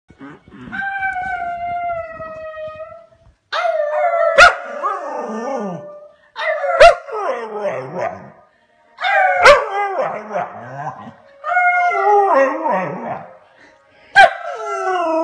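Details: A male Scottish Terrier trying to howl: drawn-out wavering tonal howls with rising and falling pitch, broken into about six bouts, each opening with a sharp bark-like yelp, short silences between.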